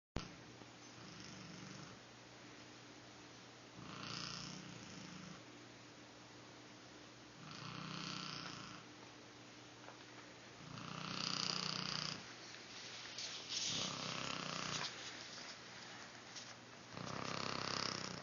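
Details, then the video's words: Cheyenne, an old female Shar Pei, sleeping by the door indoors as her owner comes home, making her habitual odd sleep noises: rhythmic, breathy snoring bursts roughly every three to four seconds, with a steady low hum beneath. "Cheyenne makes some noises when I come home"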